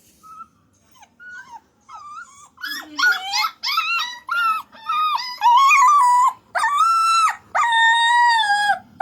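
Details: Puppy vocalizing in quick high whines that start soft and sparse, then grow into louder wavering howl-like notes with rich overtones, some held for about a second, in rapid irregular bursts.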